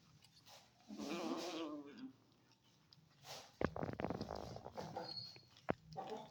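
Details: Stray kitten, newly adopted, eating cake and giving angry meows; a wavering harmonic meow for about a second, then crunchy chewing and clicking sounds indoors.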